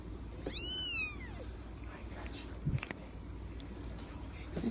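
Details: A single drawn-out, arched meow from a 3-week-old female seal point Persian kitten, sliding up and then down over nearly a second, followed by soft knocks and handling noises against a low hum.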